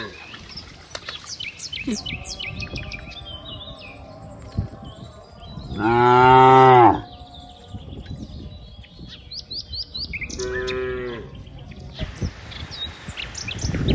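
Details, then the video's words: Cows among dozens playing together in green rice fields: one loud, deep, drawn-out moo lasting about a second, then a shorter, quieter moo a few seconds later, with small birds chirping and tweeting throughout. "funny cow sounds, Moo cow sounds"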